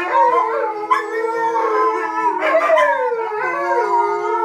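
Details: Two mid-content wolf dog hybrids, five months and seventeen months old, with a husky, howling during simple training when a siren interrupts; several long, wavering, overlapping howls rise and fall over a steady flat siren tone.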